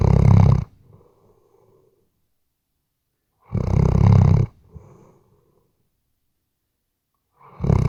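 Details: Weimaraner asleep, captured on a RODE NTG3B microphone: deep rattling snore bursts spaced about three and a half seconds apart, each followed by a faint wheezy exhale, silence between.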